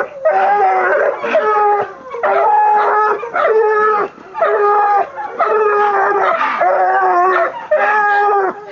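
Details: Female Black and Tan Coonhound, 20 months old, baying at a raccoon caught in a chicken pen, only her second: loud, hoarse bawls repeated about once a second in bursts, with brief pauses between.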